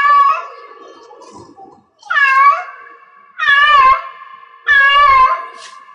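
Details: Cat in heat calling in a small room: after a fading call at the start, three loud wailing meows come roughly every 1.3 seconds, each rising then falling, with a humming tone left between them.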